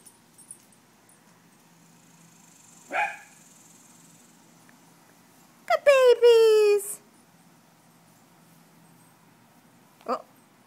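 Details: Dogs greeting someone coming home on a summer day in Houston, Texas, indoors; one drawn-out, falling, harmonic whine-howl lasting about a second, with a short yelp or bark before it and another near the end; the room is otherwise quiet.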